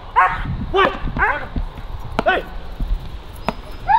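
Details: German Shepherd barking during stress resilience and nerve strength training: a run of sharp harmonic barks, several close together then spaced out, with scattered clicks and low background rumble.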